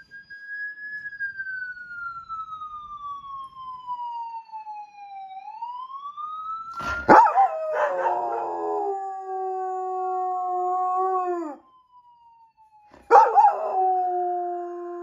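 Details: Police German Shepherd howling in response to a passing siren: a wailing siren slides down and back up, then the dog joins with long, steady, wavering howls that break off and resume.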